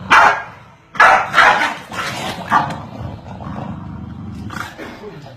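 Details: Corgis barking continuously at each other, a quick cluster of sharp barks early on that grows weaker and rougher, then rumbling low sounds and one more bark near the end.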